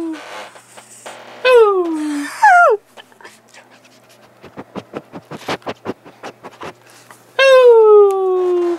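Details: Pet dog playing indoors; long falling whines with bright harmonics, two near the start and one drawn out at the end, separated by a run of soft rapid thumps and light clicks.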